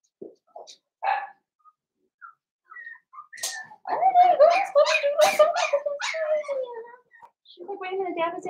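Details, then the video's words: Cavalier King Charles Spaniel puppies, five blenheim littermates, playing with their mother at home; a few short yips lead into a drawn-out wavering whine that slides downward, followed by a shorter lower whimper. "Cavalier Puppies Play with Mama"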